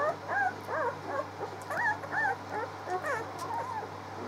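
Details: Six-day-old pups on 19 March making quiet, short whimpers and squeaks in rapid succession, several voices, faint over a low steady hum.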